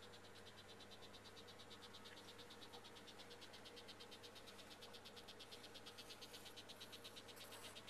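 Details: Frogs calling in the background of an indoor rainforest exhibit at Manchester Museum, in a steady series of rapid clicking pulses, about three a second, over a low hum.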